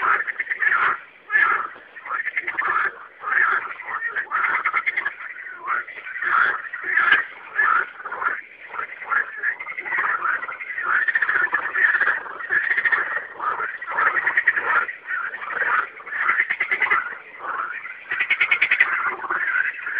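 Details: Night chorus of singing frogs, a continuous wash of overlapping raspy croaks and pulsed trills rising and falling in loudness.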